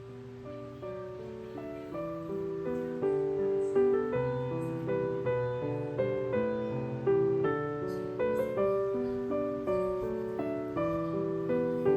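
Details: Gentle piano music plays throughout, with steady notes rising and falling in loudness and no animal voice.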